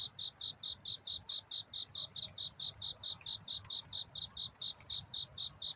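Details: Courtship song of a cricket at night: steady high-pitched chirps repeating around three to four per second, each short pulse alike, with a couple of faint clicks and a low hum underneath.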